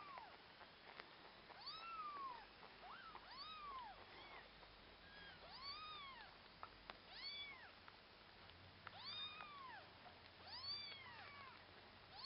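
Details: Orphaned kittens meowing while a husky puppy named Akasha helps with them; repeated arched, high-pitched mews with harmonics, several overlapping voices, roughly one call every few seconds.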